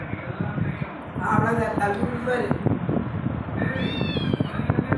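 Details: Pet cat Chitu meowing: a drawn-out, wavering meow mid-clip, then several higher, arched meows near the end. A steady background hum and a person speaking Tamil are also heard.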